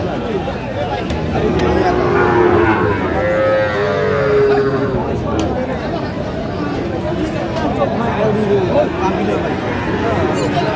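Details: Sahiwal calves at a Bangladeshi cattle market; several drawn-out lowing moos between two and five seconds, then fainter ones later, beneath dense market chatter, background music and voices.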